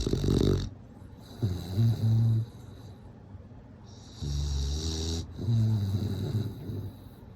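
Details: Sleeping bulldog snoring in a regular rhythm: rasping, hissy inhales alternate with low wavering hums on the out-breath, two full breath cycles with a quiet pause between them.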